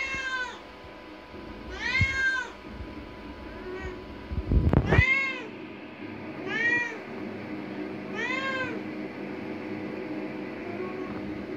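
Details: Curious indoor cat aged five years eight months, sightseeing in the bathroom near the bathwater, gives a string of about six drawn-out arched meows, some louder, some softer, with a brief thump midway and faint room hum.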